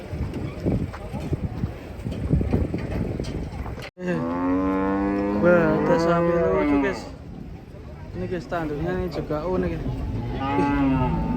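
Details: Cattle coming down off a truck: after a stretch of clattering and shuffling noise, a loud, drawn-out, rich-toned moo rises and falls, followed by further shorter moos over a steady background hum.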